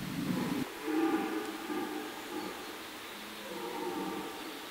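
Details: Red deer (Cervus elaphus) stag during the autumn rut in a forest, giving a deep, drawn-out harmonic roar that swells and fades over several seconds, with a short loud burst at the start.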